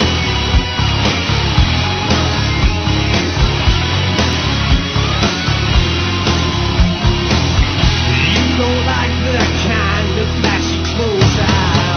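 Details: Loud, dense rock-style music with heavy drums and distorted instruments throughout, and no animal voice heard.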